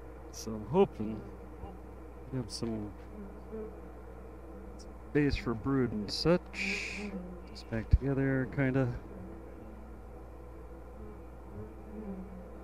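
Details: Honey bee colony during a hive inspection at "The Mountain", hives busting with honey, queen and brood present: a steady low droning hum runs throughout, interrupted by bursts of a man speaking.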